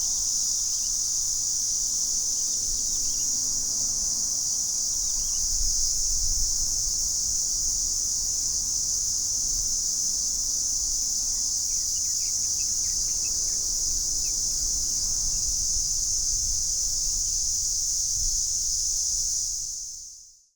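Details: July recording from Sanzhi, Taiwan of the Platypleura hilpa cicada, made on a Sony A7s3 with Rode VideoMic NTG; a sustained, even, piercing high buzz runs without pause for about twenty seconds before fading out at the end.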